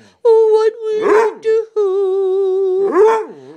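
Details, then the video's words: Pet Basset Hound howling while singing along with its owner indoors: a long, steady, mid-pitched howl held for about three seconds, briefly broken and then resumed, with two short swooping vocal bursts over it. "the singing Bassett"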